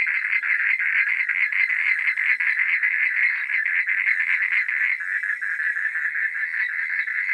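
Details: Many frogs calling at night in a close, pulsing chorus of harsh, rapid croaks that overlap without pause, dipping slightly midway before carrying on.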